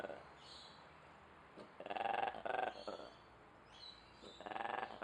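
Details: A zoo ape in Duisburg making weird noises: three loud, harsh, harmonic bursts, each under a second long, spread over about five seconds, with a faint, steady background hum between them.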